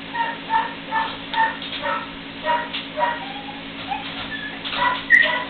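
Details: Three-week-old puppies playing together for the first time; a run of short, high whiny squeaks and yips repeating about twice a second, with a steady low hum underneath.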